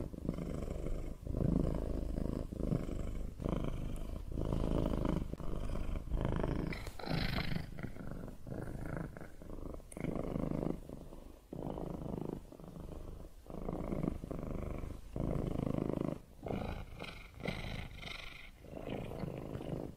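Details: Steady low rumble of a purring cat, pulsing in rhythmic inhale and exhale cycles roughly every second, a few breaths sounding harsher and brighter toward the middle and end.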